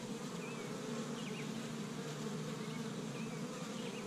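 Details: Honey bees from an established hive in Michigan on the first warm spring day, gathering pollen from tree buds: a steady, dense buzzing drone with a few faint bird chirps above it.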